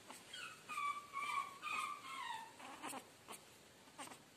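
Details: Chihuahua puppy at a pet shop in Guna, Madhya Pradesh, India, giving thin, high whines that glide and waver for about two and a half seconds, the last one sliding downward, followed by a few sharp clicks and taps.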